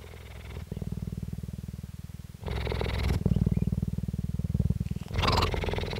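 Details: A female cheetah at a cheetah centre in Parys, South Africa, recorded 5 May 2019, gives a loud, low, rapid rumbling purr almost without pause, its tone shifting slightly between inhaling and exhaling, with a few soft breathy rasps between.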